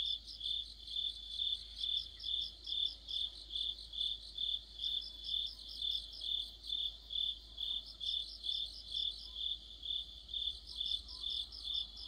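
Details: Autumn chorus of crickets and other insects at night: a steady high chirping pulse repeated about twice per second, with a second caller's rapid bursts of ticking notes layered above it at intervals.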